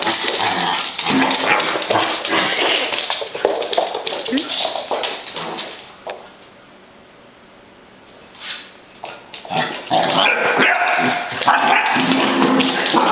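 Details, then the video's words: Basset Hound puppy Rosceaux confronts a "monster" indoors, giving quick repeated barks and whines over human speech, with a quiet pause near the middle before barking picks up again. "Basset Hound Puppy Fights a Monster"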